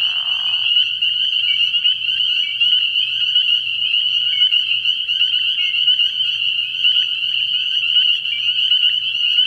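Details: Spring peepers calling in a dense night chorus at a frog pond early in the year: countless high, piercing peeps merge into a steady ringing band, with a brief lower noisy burst at the very start.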